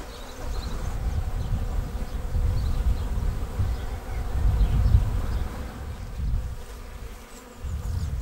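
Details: Arriving honeybee swarm settling straight into a beginner's bait hive in May: dense, low droning hum of many wings, rising and falling in waves, a few faint bird notes in the background.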